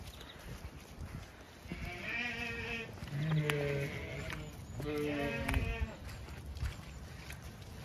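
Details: Flock of Zwartbles ewes on an Irish farm in County Kilkenny, called in by the farmer after a frost has thawed; overlapping harmonic bleats come in two bursts, with rustling and calling voices behind.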